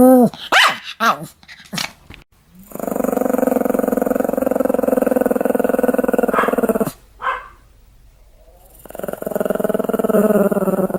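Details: Pomeranian giving a few quick yaps, then a long, steady buzzing growl held for several seconds, breaking briefly with a sharp bark before growling resumes.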